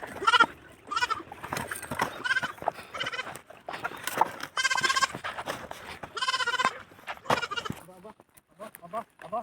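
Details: Recently purchased farm goat in La Union searching for its mother, giving repeated tremulous bleats of varied length, several long and wavering, while people talk nearby.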